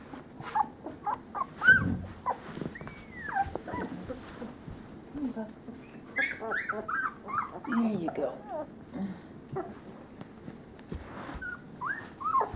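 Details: Three-week-old male Great Pyrenees puppies from a summer 2013 litter trade busy overlapping whimpers, squeals and small rising whines, with low grumbling growls and a person's voice now and then.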